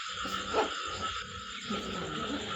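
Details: Large rice-field frogs at night in Kampong Thom province, Cambodia, calling after a heavy evening downpour during a frog hunt; a steady, droning chorus with a sustained mid-pitched tone and broadband rasp, plus brief louder croaks.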